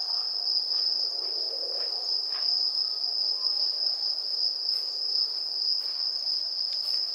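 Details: Bell crickets (suzumushi) calling on an autumn festival night in Kamakura, Japan: a steady, unbroken high-pitched ringing tone holds throughout, with faint soft clicks and rustles beneath.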